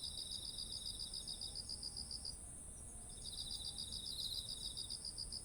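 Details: Among ripe autumn rice fields, several insects chirp: evenly spaced high pulses for about two seconds, a brief lull, then another burst of pulses, over a constant piercing high drone and a light background hiss.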